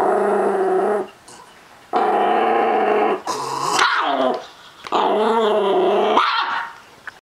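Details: Chihuahua crossed with Miniature Pinscher, possessive over treats, gives steady sustained growls lasting about a second each, interrupted by a higher, sharper snarling yelp before the growling resumes and fades.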